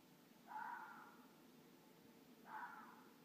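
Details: Red foxes of a mated pair calling at night in the village of Midhurst, England: two hoarse, drawn-out barks about two seconds apart, each slightly falling, with low background hum.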